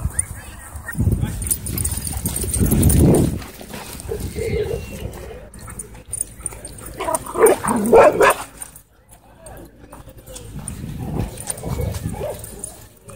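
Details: Miniature Pinscher warning when harassed: low rumbling growls in bursts, a sharper harmonic snarl-yelp in the middle, then another low growl near the end, with human voices talking over the dog.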